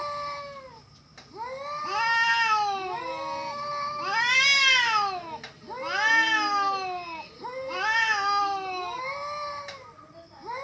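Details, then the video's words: Cats fighting, giving horrible-sounding cries: loud, rich, wavering yowls that swell and fade in waves about every two seconds, with two voices overlapping in rising and falling howls. "cats fighting with horrible sound"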